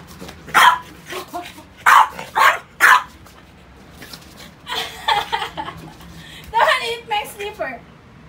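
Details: Indoors with rubber toys, French Bulldog Pogi lets out four sharp, rough barks in a quick row, then quieter scratchy yips and a strained grumbling bark, with someone speaking in between.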